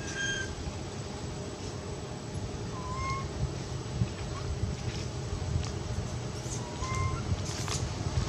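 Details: Quinton, a scared cat begging for milk: a thin high meow opens the recording, followed by short, mid-pitched meows near three and seven seconds, all set against a steady low engine-like rumble.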